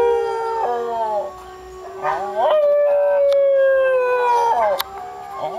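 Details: Pet Tibetan Terrier dog 'singing': long, loud, tonal howls that slide down, then rise and hold steady with a slight waver. Several drawn-out notes follow one another, with a steady low tone underneath.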